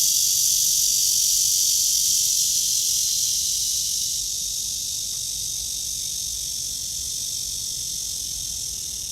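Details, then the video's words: On a morning walk, August 23, 2020 at 9:27, a cicada in a tree under blue sky gives a loud, high, sizzling buzz that starts strong and gradually softens over the last few seconds. "나무에 매미"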